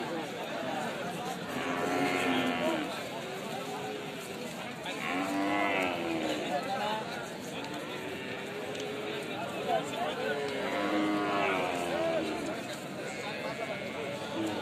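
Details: Calves lowing in drawn-out, harmonic moos that rise and then fall, repeated roughly every three seconds over a constant hissing background with faint voices.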